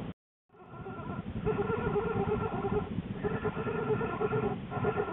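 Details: Lily, an American black bear, in her den on January 13, 2013, shortly before giving birth to two cubs, after rearranging her bedding. A low, rapidly pulsing rumble carries steady layered tones and pauses briefly about every one to two seconds.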